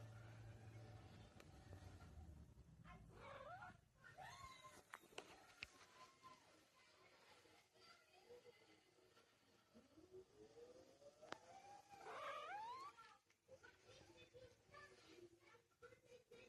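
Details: Cat demanding something immediately, giving drawn-out meows: a short rising cry near the fourth second and a longer upward-sweeping wail around the twelfth, amid indoor rustling, clicks and faint low hum.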